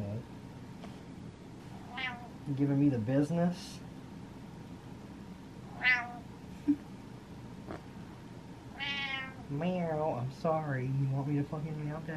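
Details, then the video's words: Impatient house cat waiting on its owner: several drawn-out, upward-sweeping meows spaced a few seconds apart. They are mixed with a man's talking and his imitated meows in a small room. "Impatient Cat Meows At Dad"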